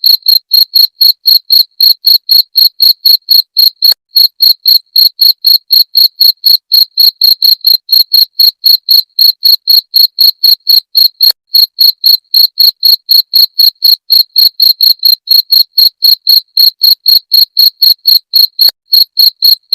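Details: Cricket, called jangkrik genggong, whose sound is used to drive away rats; steady series of short, high, ringing chirps, about four per second, evenly spaced and continuous, with no other sounds.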